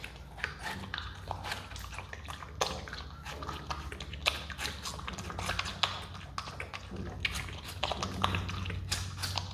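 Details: A pet Himalayan marmot (Marmota himalayana) eats watermelon, chewing noisily with wet, crunchy bites and smacking clicks in quick irregular bursts.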